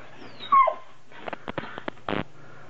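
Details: Vizsla complaining loudly while performing a play-dead trick he dislikes doing away from the bed: a sharp high, sliding whine, then a few short clicks and thumps.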